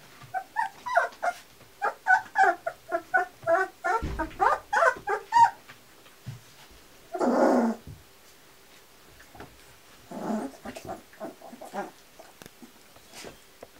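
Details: Eighteen-day-old Kuvasz puppies of the Crystal Diamonds litter, 2 July 2014, keep up a busy stream of short, squeaky yips and whimpers for several seconds, broken by a muffled rustle, a longer hoarse cry and scattered later squeaks.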